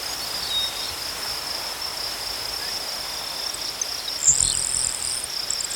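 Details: Crickets outdoors: a steady, high-pitched continuous trill runs throughout, with a brief brighter, higher buzzy burst near the end over faint low background rumble.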